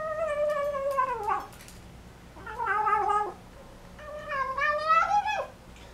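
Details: Folded-ear American Shorthair kitten in Taiwan eating its first meal after arriving home. It gives three whiny, mewing cries while it eats, each about a second long and falling in pitch at the end, with soft chewing noise between them.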